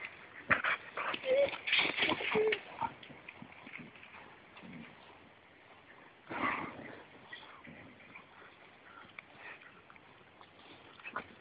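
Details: Two dogs playing, a 2-year-old Staffordshire Bull Terrier and a 4-month-old blue Pitbull, both rescue dogs up for adoption; rapid scuffling, panting and brief whiny yelps, busiest in the first three seconds, with a burst near six seconds.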